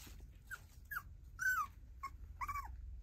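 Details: Female tiny poodle giving five short, soft whimpers spaced roughly half a second apart, some rising then falling, with a faint low background rumble between them.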